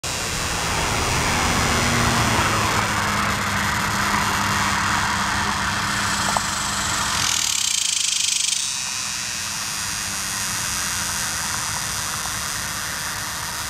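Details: A male superb dog-day cicada (Tibicen superbus) calls from a tree along Oklahoma's Muskogee Turnpike on July 18, 2010, a loud steady buzzing drone, with other males calling in the background while females lay eggs nearby.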